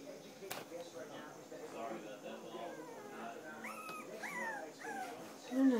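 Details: Three-week-old standard poodle puppies from the Star and Levi litter give thin, high whimpering squeals that rise then drop, clustered in a quick series late on and ending in a louder squeal, with faint human voices beneath.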